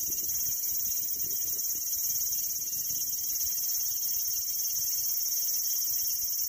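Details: Cicada singing a constant high, hissing buzz that never pauses, with only faint low background noise below.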